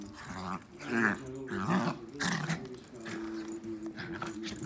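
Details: Dachshunds growling in a low, rough rumble, with a few higher whining rises and uneven bursts over almost five seconds, and faint voices in the background.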